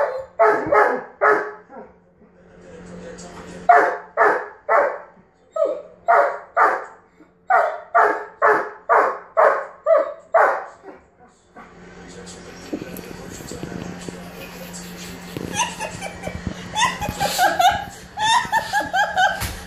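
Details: Frustrated male German Shepherd barking when his ball ends up under the bed. Clipped barks repeat roughly twice a second for about eleven seconds, then give way to rustling, scraping household noise with fainter barks.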